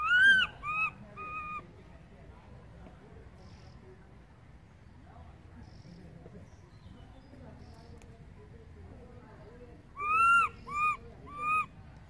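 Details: A baby monkey gives high, wailing cries in short bursts, calling loudly for its mother after she moved far away.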